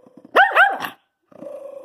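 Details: Indoor Jack Russell Terrier barking and growling when accused of chewing up his bed: two loud, rising-falling harsh barks followed by a rougher growly tail, then a person's voice scolding in a small room.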